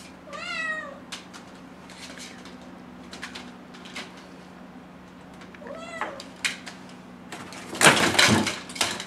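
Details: Young kitten, six months old, pleading to go outdoors: a loud falling meow, a softer second meow, then clattering and knocking noises near the end over a low hum.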